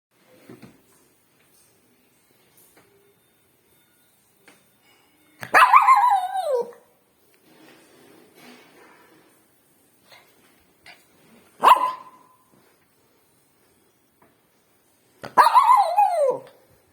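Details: A pet dog barks in three loud, harsh bursts spaced several seconds apart. The bursts are broad and noisy with falling tails, and faint low rustling fills the quiet gaps.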